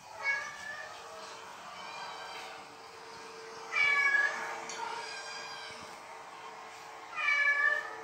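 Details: Cat calls played indoors to a female house cat wary of unknown felines in her territory; three short harmonic meows near the start, middle and end, the later two louder, over a steady low hum.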